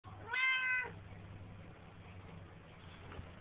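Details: A Siamese cat, a frequent talker, sitting in a bathroom sink, gives one strong meow lasting about half a second, rich and slightly nasal with a level pitch that fades at the end; a low steady hum continues underneath.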